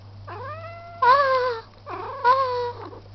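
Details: Pet cat, described as talking, indoors: two drawn-out harmonic meows, each rising then sliding down, about a second apart, with a short softer call at the end; steady low hum underneath.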